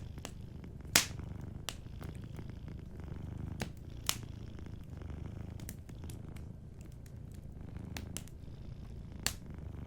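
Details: Sleeping cat purring softly beside a cozy fireplace: a steady, low rumbling purr runs throughout, broken by sharp pops and crackles from the burning fire, one loud snap near the first second.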